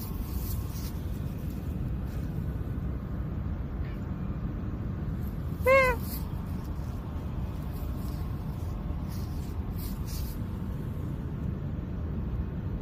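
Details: Cat spending the night in a park, uttering a single short meow with rich harmonics that rises then dips slightly, against constant low-pitched ambient rumble and faint distant hiss.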